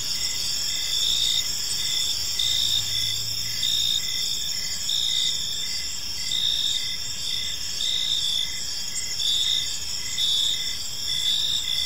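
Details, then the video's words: Evening cricket chorus in a quiet park, high shimmering chirps pulsing roughly once a second above a constant insect drone; a faint low hum passes briefly in the background. "Cricket Sounds in a Peaceful Park"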